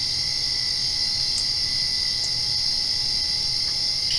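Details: Crickets calling at night right after rain, a steady high-pitched continuous trill filling the background with only a few faint isolated clicks, over a low constant hum.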